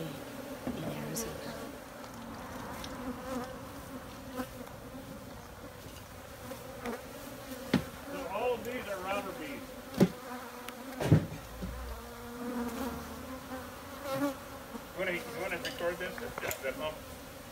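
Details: Massed honey bees keep up an unbroken low buzzing drone under background music, with scattered clicks and knocks.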